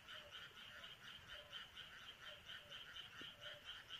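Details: Midsummer night in countryside rice paddies, where many frogs croak together: rhythmic, grating pulses repeated rapidly and evenly, a few faint lower notes mixed in over a steady background hiss.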